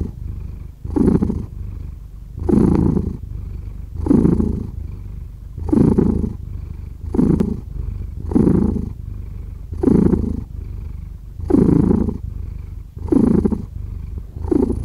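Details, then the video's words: Pet cat giving a deep, rumbling purr, rising and falling in regular breath-paced swells roughly every one and a half seconds, about ten pulses with a quieter purr between them. "Cat Purring"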